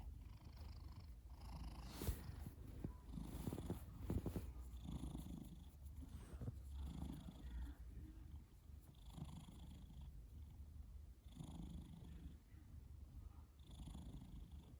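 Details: Male pet cat that snores all the time, heard as a low, steady rumble with soft breathy surges roughly every one to two seconds, faint hiss above, no other clear sounds.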